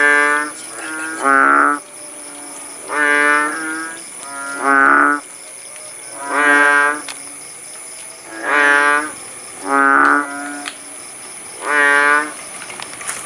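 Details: In rural Aceh at Paya Bujok Tunong, Langsa, kodok bangkong frogs call after rainfall: loud, buzzy, lowing notes about a second long, repeated roughly every one and a half to two seconds over a soft background hum.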